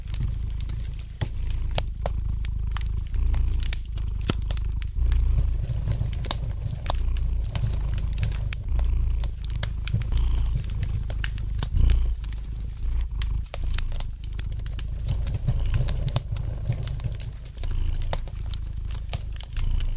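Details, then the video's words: Gentle purring of a domestic cat by the fire, a soft low drone rising and falling in long breaths, nearly covered at times by dense snapping and crackling from the logs in the fireplace. "Relax to the gentle purring of the cat and the light crackling of the fire in the fireplace!"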